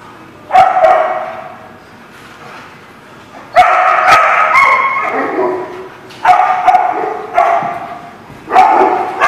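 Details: Dog barking, dated 5/4/19: loud, harsh bursts coming singly or in short runs of two or three, separated by pauses of one to three seconds, with faint low background murmur between them.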